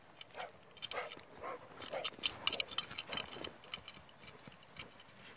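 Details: A dog, possibly a Cane Corso, gives a quick, irregular run of sharp, fairly high-pitched barks in Saint-Martin-de-Brômes.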